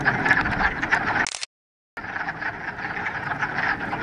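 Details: Dense frog chorus at a Ramapo Mountains pond in mid-March, first warm spring day after a week of rain; pulsing overlapping croaks, cut by a short half-second silent gap before the chorus resumes.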